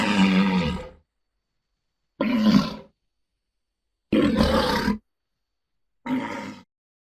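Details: Walrus giving four short, rough, growling roars of under a second each, spaced about two seconds apart with silence between, lower-pitched hoarse bellows with a noisy, breathy upper edge.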